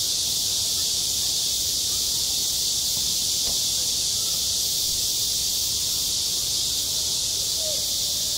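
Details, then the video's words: Shrill, unbroken cicada chorus filling a school playground in midsummer, an even high hiss from start to finish, with a faint short call near the end. "한 여름 운동장에서 매미가 울고 있다 - 여름의 소리, 학교 종소리, 매미 울음소리"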